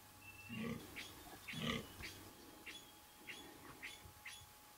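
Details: Fallow deer buck during the 2014 rut, giving two deep, burping groans about a second apart. Harmonics are stacked low, and thin high bird chirps repeat through the background.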